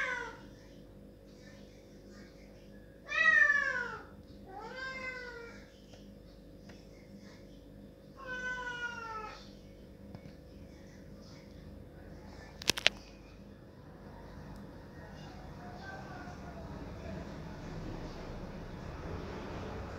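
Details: A cat cries loudly at a closed door, wanting it opened. Four wailing meows, each rising then falling, come within the first nine seconds. A sharp click follows, then a faint rising hiss.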